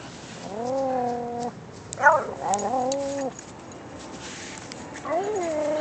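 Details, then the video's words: Pickles, a Japanese Chin dog, sings in a drawn-out, tuneful howl: two long steady 'woo' notes with a brief sharp yelp between them, then a rising, swelling note that begins near the end. A quiet room hum sits underneath. "Pickles the japanese chin woooooo!!!!"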